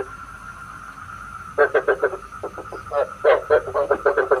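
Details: Lure recording of frogs for night trapping with a bagua trap; after a quiet start with only a faint steady hum, bursts of quick, short croaks begin and repeat in uneven groups to the end.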